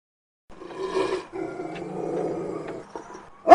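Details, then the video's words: An angry dog growling: a low, rough rumble with stacked harmonics lasting about three seconds, briefly dipping near the middle and ending in a short, sharper burst. "Dog Angry Sound Effects"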